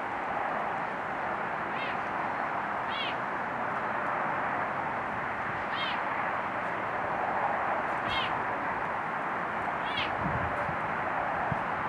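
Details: Serval at Little Rock Zoo, grooming itself alone while shedding its coat; five short, high, chirpy calls repeated about every two seconds over a steady loud broadband hiss.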